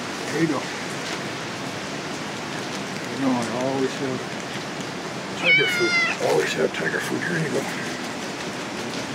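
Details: Stray cat in heavy rain in BGC, Manila, asking for more food; a few wavering meows, one sharp higher cry midway, with a man's voice talking and rain noise throughout.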